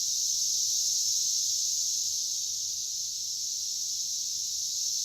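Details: A dense chorus of Cassin's 17-year periodical cicadas (Magicicada cassini): males singing to attract females make a steady, high, shimmering buzz that swells and drops as unsuccessful males fly off.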